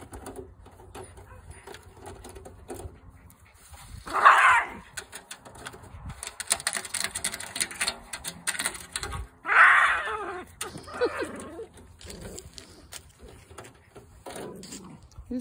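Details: Jack Russell Terriers playing with an aluminum gutter. Two loud, harsh yelping bursts land about five seconds apart, with scraping and metallic clatter between them and a low hum underneath.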